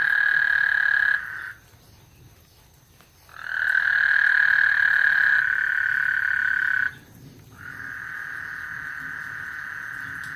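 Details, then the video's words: Ahead of a thunderstorm on Lake Houston, frogs produce three long, even, buzzy trills of two to three seconds each, separated by short quiet gaps, with soft low-pitched rumble beneath. "Lake Houston Thunderstorm and Frog Serenade"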